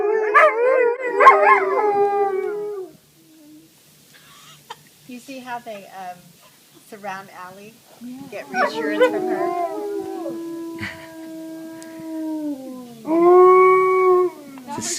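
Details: Rescued wolves of partial dog ancestry at the Shadowland Foundation, February 2013; bursts of layered howling open and return midway as long, level, fading howls, separated by quiet gaps with soft whimpers and human voices.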